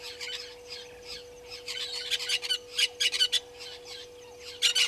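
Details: African wild dogs, also called painted dogs, at Gowrie dam waterhole on Djuma Game Reserve, Sabi Sand Wildtuin, South Africa, caught by a live camera at 17:49. Bursts of high, squeaky twittering chirps come in irregular clusters over a steady electrical hum.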